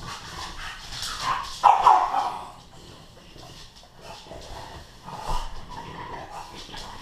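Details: Two dogs, a Bullmastiff named Earl and an English Bulldog named Bentley, wrestling in play upstairs at home: rough throaty growls and snorts surge and fade, with one louder burst of grumbling and panting breaths between.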